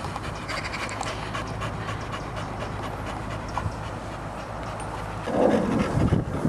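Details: T-Maximus, a two-and-a-half-year-old male blue pedigree Staffordshire Bull Terrier stud, UK Kennel Club registered, panting in quick, uneven breaths, roughly three per second, with a low steady hum underneath and a louder rustle near the end.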